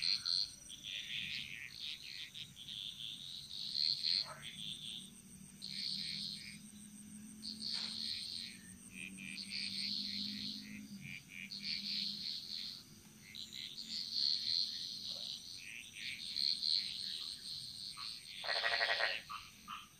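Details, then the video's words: Frog chorus echoing through the jungles of Bali: high, pulsing trills come in repeated bursts every second or two, with a few louder rasping calls and a soft low drone underneath. "Frog Mantras - Relaxing Sounds Of Bali"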